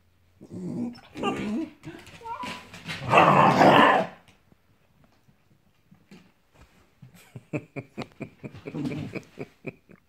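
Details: Dogs chasing a squirrel on a hot morning: loud strained whines and growly cries first, then a quick run of short, sharp yips repeated over several seconds.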